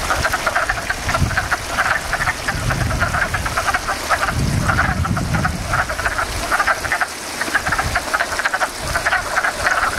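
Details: Frogs calling in a backyard pond, a dense chorus of rapid pulsed croaks repeating in bursts throughout, with a low rumble underneath.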